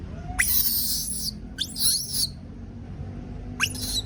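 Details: Baby monkey screaming out of fear of being left alone: three harsh, shrill bursts, the first rising sharply and lasting about a second, then two shorter screeches, with low rumbling noise throughout.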